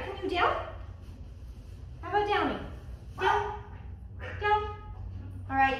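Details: Oliver, a Jack Russell Terrier in training, giving five sharp yelping barks with falling pitch, roughly one every second or so, over a low steady hum.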